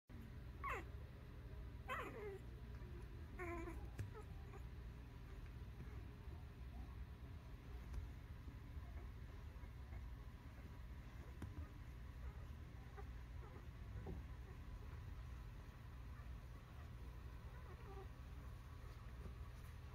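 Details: Newborn puppies give thin, high squeaking whimpers, a few quick upward-sweeping cries in the first four seconds followed by fainter scattered squeaks, all over a steady low hum.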